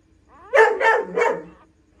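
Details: Female pointer dog delivering nine puppies at home; three quick, harsh barks in a tight burst lasting about one second.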